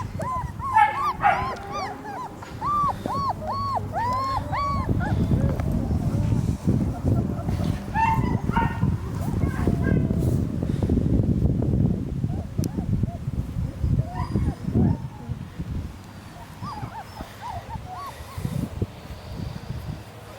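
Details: A litter of three-week-old German Shepherd puppies gives a run of thin, arched whines in the opening seconds, then heavy low rumbling, handling noise and a voice mostly cover them, with scattered faint whimpers later.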